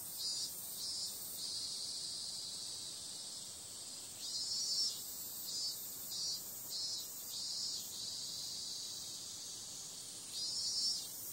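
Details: A dense, shrill cicada drone on a summer night, punctuated by a run of louder pulsing bursts of about half a second each, with quieter steady hiss between groups.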